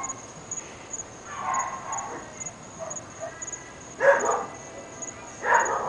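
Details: A few separate barks, two sharp and loud near the end, from one of three dogs heard across North Bay Village, unseen. A steady insect drone fills the background.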